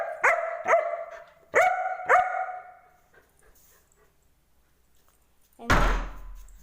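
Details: German Shepherd dog arguing with its owner: four sharp, clear barks in two pairs over about two seconds, then quiet and a loud thump near the end.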